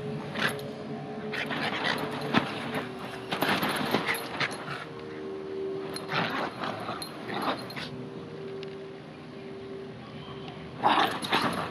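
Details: Playful Bichon Frises, a pair, charge around big outdoor bean bags on hotel grass in Ko Samui, Thailand; scattered broadband scuffles and short gruff sounds come in clusters with quiet gaps, over a faint steady hum.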